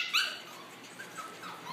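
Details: One short, sharp high-pitched yip from a seven-week-old Welsh Terrier puppy, then near silence with faint rustling indoors.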